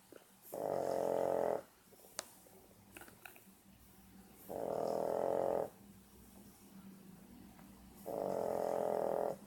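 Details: A 14-week-old French Bulldog puppy asleep, March 2014, gives steady raspy snores of about a second each, roughly every three to four seconds, with a faint click and small rustles in the pauses.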